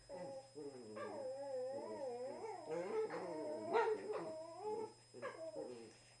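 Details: Gentle indoor play between two Cavalier King Charles Spaniels, a 2-year-old black and tan male and a 1-year-old tricolour female: a long, continuous, warbling whine-groan that rises and falls in pitch, swelling louder near the end before fading.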